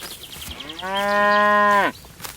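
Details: Grazing cow in a golden rice field on a peaceful countryside afternoon gives a single sustained, level moo of about one second that drops sharply at the end, after brief faint bird chirps.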